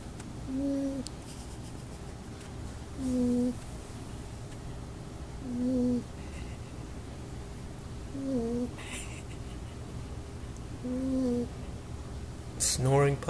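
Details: Oshie, a female 8-week-old Golden Retriever puppy, asleep and snoring in soft whistled, slightly wavering nasal tones about every two and a half seconds, quiet between snores, with a short rustle at the end.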